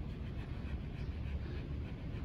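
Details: J.W., a Keeshond, pants on a walk in the park on June 24, 2020, heading home. Quick, rhythmic, breathy puffs repeat over a steady low rumble of wind and handling noise.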